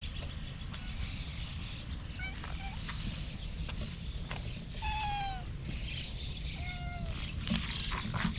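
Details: A slim orange-and-white cat meows outdoors, filmed with a GoPro HERO8 Black: two clear, falling, slightly wavering meows about two seconds apart near the middle and end, over a steady low rumble and faint bird chirps.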